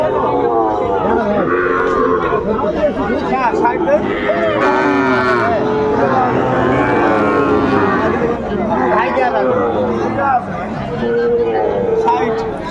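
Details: Sahiwal bull calves crowded at a market on 20 December 2024 as a farmer from Dhaka shops for cattle; several overlapping, wavering moos, some rising then falling, nearly continuous beneath loud people talking and haggling.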